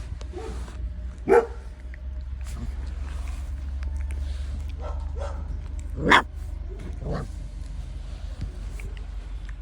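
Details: Thirty-day-old puppies nursing from their mother dog, with two short, sharp yelps a few seconds apart over a steady low hum and faint rustling.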